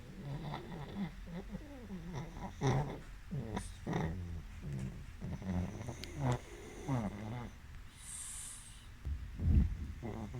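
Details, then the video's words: A pug takes a power nap and snores. The snoring is low, soft and rasping, with uneven snorting breaths about every second and a few louder snorts, over a quiet room. "Pug Power Nap and Snores"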